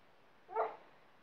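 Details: Labrador and Staffordshire mix dog full of energy, playing with its sofa, gives a single short, sharp bark lasting about a quarter second, with quiet room noise around it.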